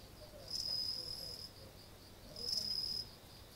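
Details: An insect outside a front entrance on the night of 30 August 2018, early autumn, trills in two bursts, each a high, pure, ringing buzz lasting about a second.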